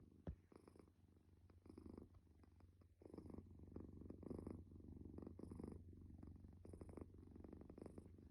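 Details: A sleeping calico stray cat snores softly in a low, rumbling rhythm, with a breath roughly every second and a faint hiss on each exhale. A sharp click sounds at the start.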